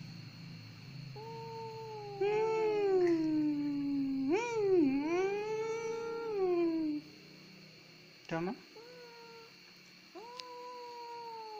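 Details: A cat that cries easily gives long, wavering, moaning meows that dip and rise over several seconds, then a short sharp squeak and two brief meows, with a steady background hum.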